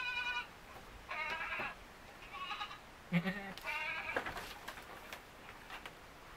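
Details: Two young white Etawah goat kids with black heads, playing together in their pen, bleat in short, nasal, harmonic bursts of about half a second, several in a row, with soft rustling and knocks between calls.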